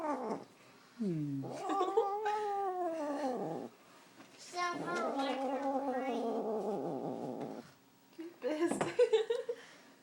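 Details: Held by the owner's dad, a female house cat growls at him in a series of long moaning yowls, each rising then holding steady, separated by short silences, ending with rough scraping sounds.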